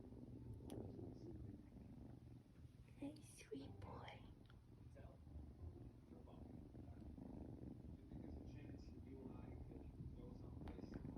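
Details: An 8-week-old male Ragdoll kitten purrs steadily, a low continuous rumble, with soft whispering nearby.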